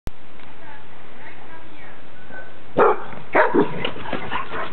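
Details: Clumber Spaniel, a 10-month-old male, guarding his territory in Moscow in 2009: a quiet start, then a few loud, harsh barks in a short cluster near the end, over steady background hiss.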